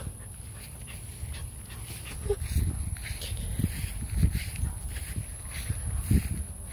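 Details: Dog barking outdoors near a garden, a few muffled, low-pitched barks arriving around every two seconds in the second half, over a steady high insect-like whine and a constant low rumble.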